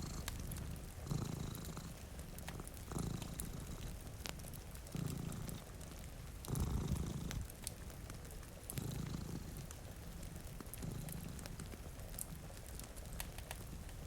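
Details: Two cats sleeping in front of a rainy window by a fire: a low rumbling purr swelling and fading with each breath, about every two seconds, under steady rain hiss and sharp crackles from the fireplace.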